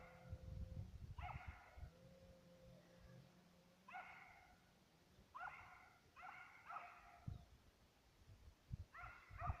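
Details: ['Distant, far-carrying bays from Serbian hounds tracking fox and roe deer. Single and doubled yelping notes repeat every second or two. Heavy low-pitched rumble and a faint steady hum sit beneath.']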